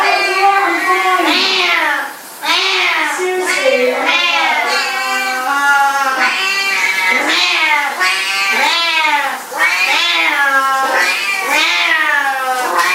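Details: A talking cat meows almost without pause, a long string of loud, wavering, drawn-out cries that rise and fall like chatter, with only two brief gaps.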